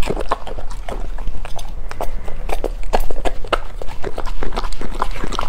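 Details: A golden retriever dog eating, heard close up as a steady stream of sharp, crisp crunching clicks and chewing noises, irregular and rapid, over a low background rumble.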